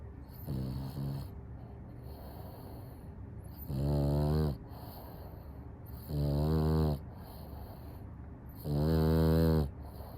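A French Bulldog snores in loud, rasping breaths, one about every two and a half seconds.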